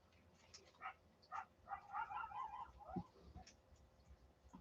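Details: Coyotes outside at night, heard from indoors as close and loud, give a burst of high, wavering yips and short barks against the quiet.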